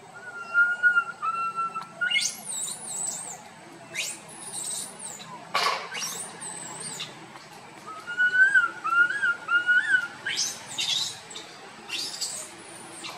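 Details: A tiny young monkey wandering with its group cries loudly with drawn-out, wavering whistled notes, broken by sharp high chirps.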